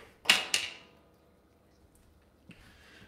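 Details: Two sharp clicks like a door or drawer catch in a small quiet room, followed by a faint rustle and near silence, with no animal voice.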